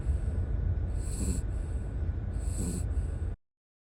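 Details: Exhausted after a three-night camping trip, ten-year-old camping dog Howl sleeps in the car, giving two soft rasping snores with hissing, whistly breaths over a low steady hum.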